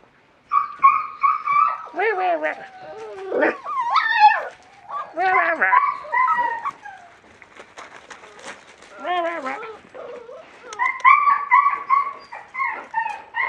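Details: West Siberian Laika puppies from one litter, 37 days old, on their first day outside in a puppy pen on a fine day, giving high whining yelps and squeals in bursts, with a person talking over them.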